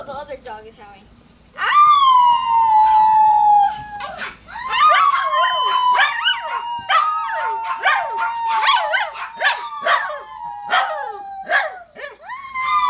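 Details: Dog howling, played to get listeners' dogs to howl along: long sustained tones sliding slowly downward, overlapped by a dense run of sharp clicks and short yelps in the middle, with faint murmuring at the start.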